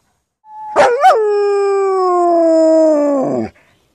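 A German Shepherd lets out a sustained, wolf-like howl lasting nearly three seconds. It opens with a brief wavering yelp, then holds a rich, steady tone that gradually drops in pitch before breaking off.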